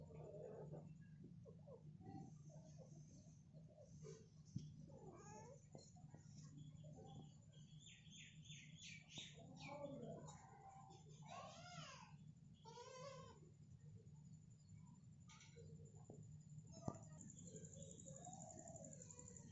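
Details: Domestic cat mother guiding her kitten and calling again and again indoors: a run of short, bent mews and chirrups of varying pitch over a constant low hum and background hiss.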